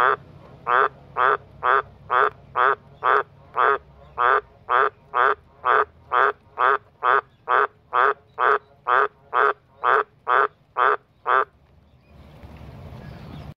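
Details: A backyard Australian green tree frog (White's tree frog, Litoria caerulea) gives a steady run of deep, rasping croaks, about two each second, calling and replying to another green tree frog as a passing bus pushes it to call harder.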